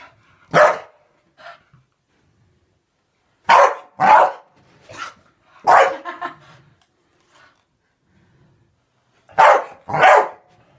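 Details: Staffordshire bull terrier attacking and eating bubbles, barking: about eight sharp, loud barks, several in quick pairs, spread over the clip with silent gaps between bursts.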